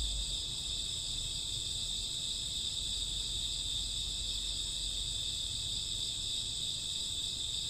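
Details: Night chorus of crickets and grassworms in summer or autumn: steady piercing high trills overlap into a seamless, unvarying wall of chirping with no gaps.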